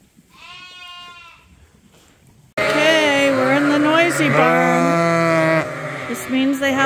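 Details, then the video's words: Lambs being trained to bottle feed on a sheep farm: a faint distant bleat, then a loud, sustained, wavering bleat from close by, with a second caller overlapping near the end. "Sheep Farming: Bottle Feeding Lambs"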